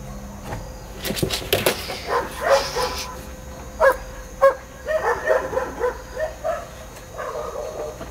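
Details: German Shepherd Eros in training at a dog school, barking in a run of short, sharp, repeated barks through the middle of the recording, over a constant background hum with some scuffing noise early on.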